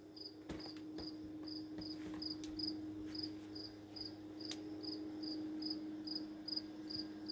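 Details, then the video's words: A single cricket chirping steadily for about three days, stopping if approached; short high pulses repeat evenly about two or three times a second over a constant low electrical hum, with a few faint clicks. "How long can a cricket chirp? It's been 3 days steady now..."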